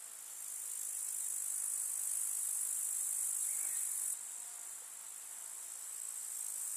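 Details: Grasshoppers chirping in a summer meadow among wildflowers in the countryside: a dense, continuous, very high-pitched shimmering hiss that holds steady, dropping slightly in loudness partway through, with a brief faint higher note in the background.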